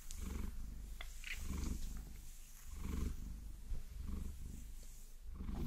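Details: Purring from a Maine Coon named Vasilisa enjoying a massage with long nails: a continuous, throbbing low purr pulsing in roughly five breath-paced swells, with light tapping and a scratch or two.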